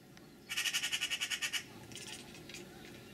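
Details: Bella, a one-year-old domestic cat at a window, chirps at a magpie perched on the sill above, just out of leaping reach: a quick burst of about eleven sharp, evenly spaced pulses in roughly one second, then quiet room.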